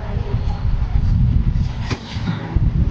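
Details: Low rumbling traffic-like noise with a faint murmur of voices and no animal sound.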